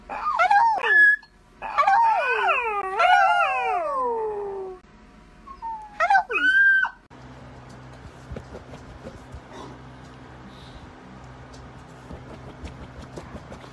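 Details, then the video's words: Playful miniature dachshund giving high, wavering whines and yelps that slide up and down in pitch over the first seven seconds, then a quiet stretch of low hum and faint rustling. "Funny Miniature Dachshund NONSTOP playful"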